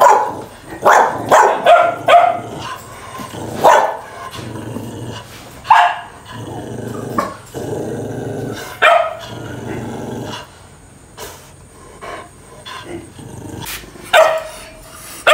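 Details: Fighting dogs give clusters of sharp barks mixed with low growls, loud at the start and again near the end, with quieter stretches of growling between.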